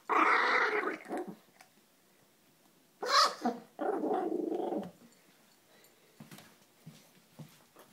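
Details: Bailey, a Maltese who stole his brother Jack's food, guards the bowl with rough, talk-like growls. A long growl opens the recording, a second snarling burst and sustained rumble follow midway, then quiet with faint clicks.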